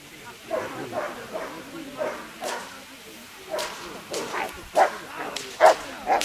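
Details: Rottweiler at a national dog show in a utility and defence trial, doing sleeve attack bite work; a few sharp, loud barks stand out near the end over ongoing talking and crowd noise.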